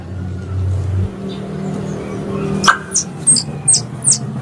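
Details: A squirrel gives sharp, high chirps that drop in pitch, repeated several times a second; this is a composite "3 in one" squirrel call used as a hunting lure in Indonesia.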